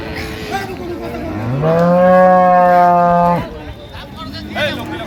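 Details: Dairy cow or calf of an improved breed at Ambari cattle market, Dinajpur, 28 September 2025: one long, rich moo, rising briefly then held level for almost two seconds before stopping sharply, over background market voices.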